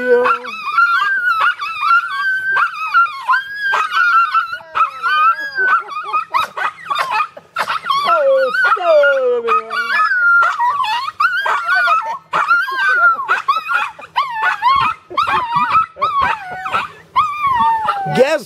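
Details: Two Poodles, Molly and Sidney, howl in long, wavering, rising and falling tones, singing along as their owner sings "O Sole Mio" at a late-July party at Lake Sonobeen, Vermont.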